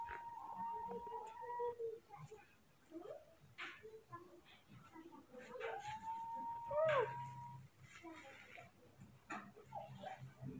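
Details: Baby monkeys Moni and Mino, scared and very angry at a new person filming them, give thin whistled squeals that hold steady then bend sharply, in short bursts separated by quieter rustling and faint background voices.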